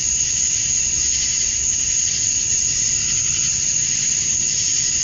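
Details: Steady wall of high, sizzling insect sound from male cicadas chirping to attract females at dusk on a summer night in Georgia, USA, with a continuous piercing top tone.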